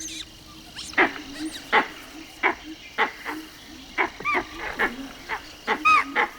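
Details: A langur gives harsh, barking alarm calls in an uneven series on spotting a prowling tiger, a warning that sends chital fleeing for cover.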